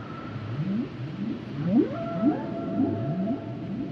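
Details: Humpback whale song: a series of rising upsweeps repeated roughly every half second, with a long steady tone and higher sliding whistles layered above, over a low rumbling ocean background.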